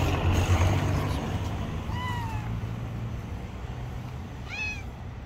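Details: Long-haired tabby kitten living on the street, giving two short falling meows about two and a half seconds apart over steady low traffic rumble and background noise.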